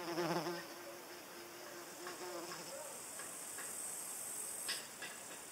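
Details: Paper wasp flying, a wasp that resembles a mini hornet in look and behaviour; a low droning wing buzz with harmonics, strongest in the first second, then a steadier hum under faint high clicks and ticks.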